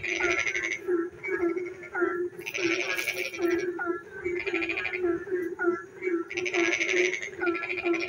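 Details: Night-time frog chorus during rain in a village: rattling, fast-pulsed trills in repeated bursts over a constant droning croak layer, with quick downward chirping notes scattered between the bursts.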